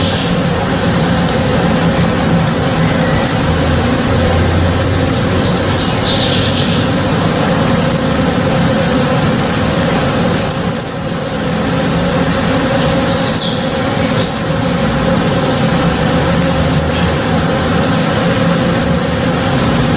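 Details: Honey bees at work in a blossoming backyard tree in the morning, a steady deep collective hum, overlaid by scattered short high-pitched bird chirps and whistles.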